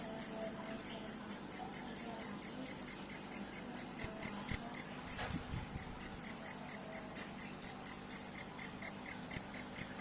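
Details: Cricket sound used to drive away rats: an even train of bright, high-pitched chirps, roughly three to four per second, with a faint low hum and a brief soft knock in the middle.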